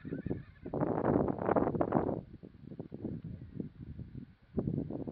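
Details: Wild horses; a long, breathy, shaking neigh with rapid pulses, followed by softer snorts and broken low whinnying.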